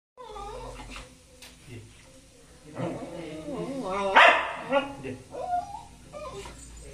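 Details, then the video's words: Young Lhasa Apso angry with its owner over a very short walk. It gives wavering, whiny grumbles that rise and fall, then a sharp bark-like outburst near the middle. A person's speech runs underneath. "Young Lhasa apso is angry with his owner & the reason is a very short walk"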